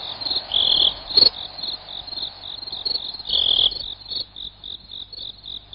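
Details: Cricket calling, a sound for repelling rats: high rapid pulsed chirps with louder trilled bursts near the start and middle, settling into a regular beat of separate chirps toward the end.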